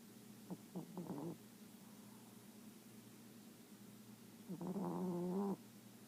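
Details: A small Chihuahua asleep and dreaming, snoring in two soft, nasal, slightly whiny breaths about four seconds apart, each lasting around a second, over a quiet, steady room hum.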